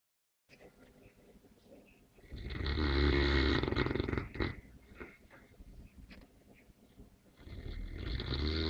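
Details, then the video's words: A sleeping Neapolitan Mastiff snores: after quiet breathing, one long, loud, rumbling rasp fills the middle of the recording, then softer breaths follow before another snore starts to build near the end. "Snoring Mastino"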